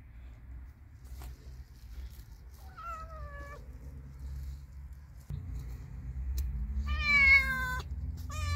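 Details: Cat or kitten giving two meows: a short, falling, thin meow near the three-second mark, then a louder, longer, harmonic-rich meow that rises and falls, over a steady low rumble in the background.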